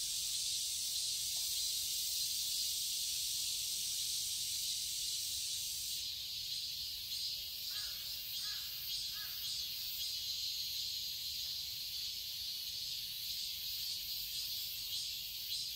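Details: Cicadas in a summer garden in Seoul, Korea: a dense, steady high-pitched buzzing chorus that shifts in tone after six seconds, with a few brief lower calls from another animal near the middle.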